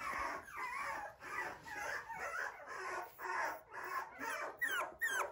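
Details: Poodle at a breeder's home in Okayama, Japan, whimpering indoors in a steady series of nasal, wavering whines about two a second, the last few sharper and falling; a constant high electronic tone lies behind.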